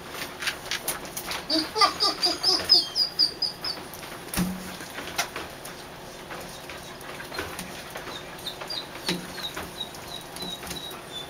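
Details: A quick series of rising, squealing whines opens, from three-week-old puppies kept in a dog show trailer, then fades to scattered soft peeps, a single thump and rustling movement.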